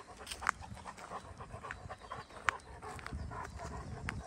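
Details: Greater Swiss Mountain Dog named Pieter (Kees) van de Knuffelberg panting on a lazy Sunday, 30 April 2023. Soft, breathy, irregular huffs come roughly every two seconds, with a couple of sharper clicks and a faint rustle of movement behind.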